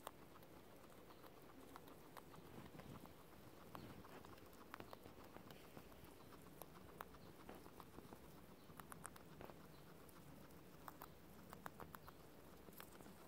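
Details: Two guinea pigs munching clover make soft, steady crunching and clicking chewing sounds over a low, muffled background; eating non-stop, a sign of happy guinea pigs.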